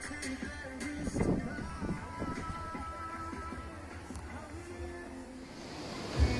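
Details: Music plays over background noise, with no animal sound heard. Only the music and ambient noise of a busy place carry through.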